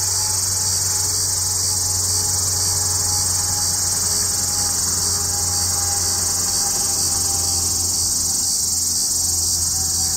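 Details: Hadoa duryi, formerly Tibicen duryi, sings hidden in junipers south of Walsenburg, Colorado, mid-afternoon July 2, 2012, as clouds gathered before a storm; a continuous shrill, even, high-pitched drone with no pauses.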